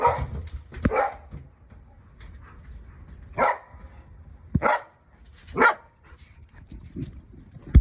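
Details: Akita dog barking in short, separate bursts over a low rumbling background, with a few soft whimpering sounds between the barks and a sharp knock at the end.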